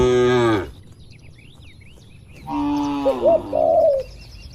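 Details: Tame cattle grazing freely in the open countryside give a short moo that falls away, then a longer, steady moo after a pause. Bird coos ring over the second moo, and faint chirps fill the quiet between.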